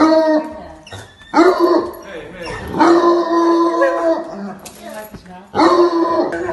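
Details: Two bloodhounds, loud, frantic and hysterical before professional training, trade deep, rich barks that stretch into mournful bays in quick bursts of about a second each, with short pauses between rounds; the vocal sparring sounds playful, not aggressive.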